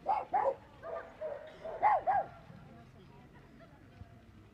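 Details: Bull Terrier barking in a burst of about six tonal, yelping barks, mostly in close pairs, over the first two and a half seconds, then near silence with faint background noise.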